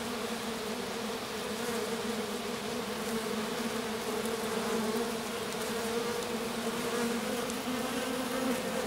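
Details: Little honey bee swarm sitting in grass with a queen left almost alone after swarming; sustained droning hum, steady and slightly pulsing, with faint higher ticks.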